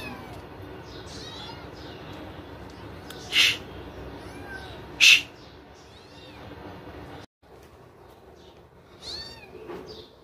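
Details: Kittens playing hide and seek give several short, thin, high-pitched mews, each arching up then down, spread across the clip. Two sharp broadband bursts and a steady low background hum run alongside.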